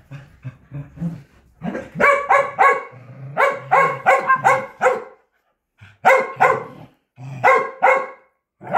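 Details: Excited Corgi during a game of fetch, low grumbling growls leading into fast runs of bright, repeated barks, several per second, broken by short silences.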